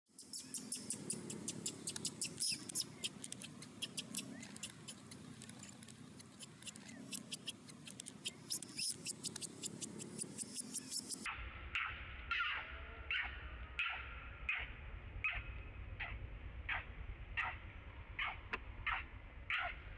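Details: Young monkey crying hard, perhaps terrified: after a stretch of broadband noise with sharp clicks, a run of short, high, squealing cries with stacked harmonics follows, repeated in quick succession at less than a second apart.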